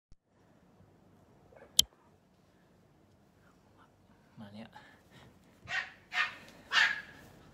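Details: Pomeranian puppies at a breeding farm, indoors in a small room: after a quiet stretch with a soft tap, three high, sharp yaps burst out in quick succession near the end, with a person speaking softly nearby.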